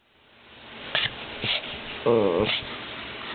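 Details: A one-year-old Lhasa Apso "sings" on cue for her birthday on June 16, 2007, a brief, wavering, tonal howl amid soft clicks and room noise.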